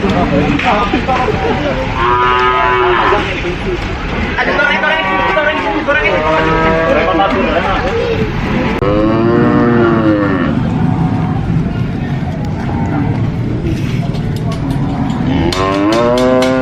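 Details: Cows at a farm lowing as a herd, loud overlapping moos that swell and bend in pitch, one after another for the whole stretch, ending with a few sharp clattering knocks.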